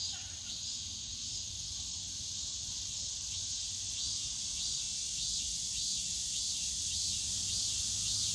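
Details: Cicadas singing on a summer day in the Yongsan Family Park bamboo forest: a high, hissing buzz that swells slightly toward the end, over a low rumble of park sounds.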